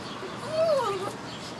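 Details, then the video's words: Wolfy the Shih Tzu whines to play with a cat in a neighbour's basement window, giving one short high whine that rises and falls, with a faint voice murmuring in the background. "Wolfy the Shih Tzu whines for a cat!"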